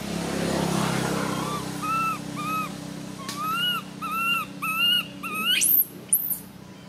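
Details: Cute baby monkey screaming: a burst of rumbling noise gives way to clear arched wailing cries in quick succession, followed by two very high, shrill rising squeals near the end.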